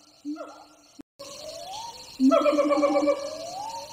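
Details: Several wild siamang troops calling in jungle, heard from a distance. A brief sliding note cuts out, then a long gliding wail rises and falls, overlapped by a rapid burst of strong, pulsed hoots.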